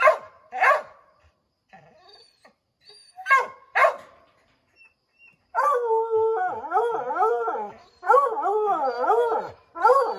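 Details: Pack of Redbone Coonhounds at a chipmunk in an oak tree, scattered sharp barks at first, then a steady chorus of wavering, rhythmic bays from several dogs at once.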